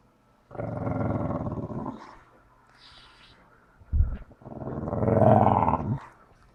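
A Staffordshire Bull Terrier cross whines and groans in two long, rough, growly bursts, wanting its ball.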